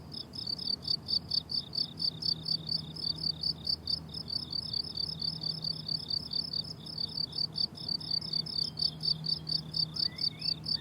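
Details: Dense, even pulses of high cricket chirping fill a summer meadow, repeating about twice a second, with a low steady hum and a single faint rising bird whistle near the end.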